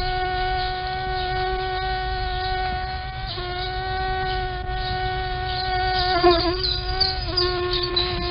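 A mosquito's thin, steady whine, holding one pitch and dipping slightly as it shifts position.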